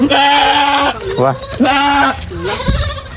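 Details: Farm goats bleating in two drawn-out, wavering cries of about a second each, with people talking close by.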